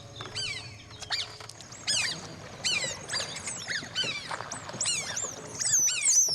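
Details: Several tame working otters, used for fishing in the Sundarbans mangrove forest of Bangladesh, give shrill, squeaky chirps that slide downward in a busy overlapping chorus at low tide.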